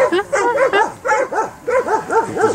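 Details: Landseer dog during water rescue training in the Czech Republic, giving rapid, tonal, yelping barks, about eight in quick succession with rising-falling pitch.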